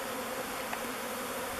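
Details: Honey bees from a swarm take turns entering the mouth entrance of the Bee Beard log hive, their chosen new home; a steady, dense wing hum with a low drone underneath.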